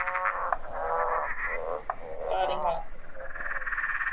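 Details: A green and golden bell frog, calling at a pond in spring or summer, gives its rough, revving "motorbike frog" call; cackling in the background is said to be the parents.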